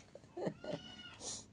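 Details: Pet cat named Mia meowing to call its owner, tugging at a hand and wanting the owner to come and sleep with it; a short, low, voiced meow amid a person's speech in a quiet room.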